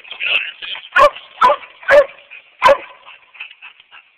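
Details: Coonhound named Bo giving four spaced barks about half a second apart, preceded and followed by softer quiet murmuring sounds against a light background hiss.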